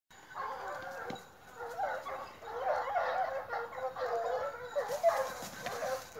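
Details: Four dogs on a park outing, three young Gascon hounds under nine months and one Norwegian Elkhound, give a steady chorus of overlapping, moaning bays and yelps, rising and falling for several seconds, fairly distant with a soft background hiss.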